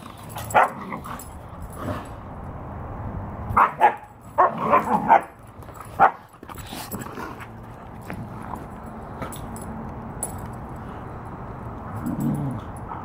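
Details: Two Siberian Huskies, Gamba and Nana, playing rough with each other so that it looks like fighting; short yips and bark-like bursts come in clusters around four to five seconds, with scattered single calls and quieter background rustling between.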